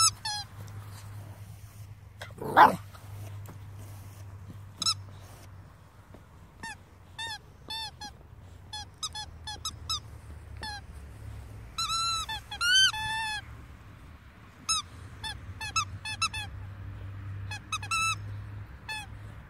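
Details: A two-month-old Staffordshire Bull Terrier puppy gives short, high, squeaky whines and yelps in quick bursts.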